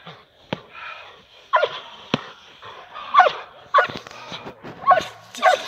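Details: Perro de Presa Canario Nadja de la Arena working with a decoy in protection training, producing a run of forceful barks that grow louder toward the end, with sharp snapping sounds between them.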